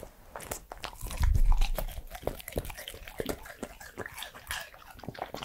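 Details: Eating sounds of a three-year-old male Pembroke Welsh Corgi: rapid, irregular crunching and biting, about three bites per second. A louder burst of crunching comes early on, then steady chewing follows.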